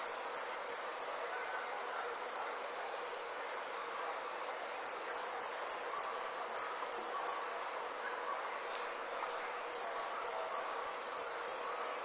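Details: Crickets chirping at night in three bursts: a short run of four high chirps, a pause, a longer run of about ten, then another run of eight, all over a steady faint high-pitched hum.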